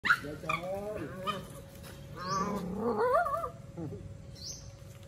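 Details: Puppies playing with other puppies, happy; a string of high, wavering whines and yelps rising and falling in pitch, with human voices talking nearby.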